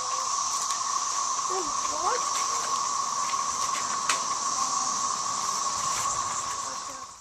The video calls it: cicada song